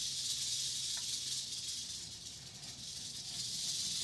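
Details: Eastern diamondback rattlesnake giving a loud, unbroken high buzzing rattle that runs steadily through the whole stretch, a dense sizzling whir over faint low hum.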